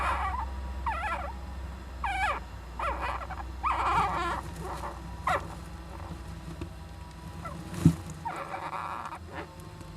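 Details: Japanese giant flying squirrel young in an owl nest box on 19 July 2010, parent present. A run of wavering, curved chirps and buzzy bursts comes roughly every second, with a sharp knock near the end and a constant low hum.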